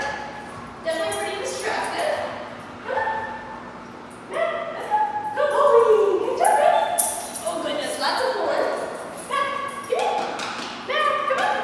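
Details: Mac, a 6.5-month-old Redbone Coonhound, during a one-week board-and-train program in Virginia, gives loud, harmonic barks and drawn-out baying yelps in irregular bursts, some running together, over a quiet indoor background.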